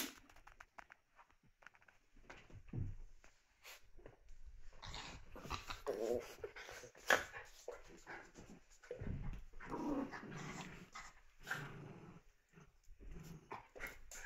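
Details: Puppies at play indoors in a small room, giving soft whimpers and low growling grumbles scattered among scuffling and rustling noises, with brief louder yelps now and then.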